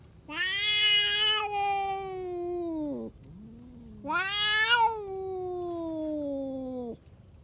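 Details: Aggressive stray cat venting at neighbouring cats: two long loud yowls, each starting harsh and bright then sliding steadily downward in a drawn-out moan, with a soft low murmur in between.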